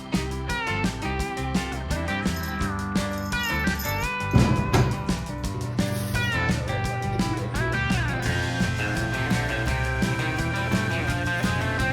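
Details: Plucked guitar music plays steadily throughout, with layered instruments and no clear animal voice.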